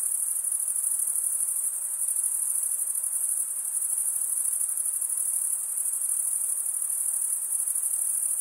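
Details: Crickets chirping at night in a summer forest, a dense, continuous high-pitched trilling chorus with a steady fine pulse and no pauses, many callers blended together, no other clear sounds.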